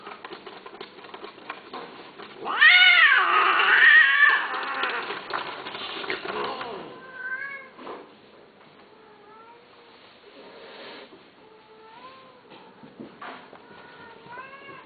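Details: Domestic cat meowing: one loud, drawn-out, wavering meow of about two seconds, then a run of shorter, softer meows that rise and fall, spaced a second or two apart, with faint room noise underneath.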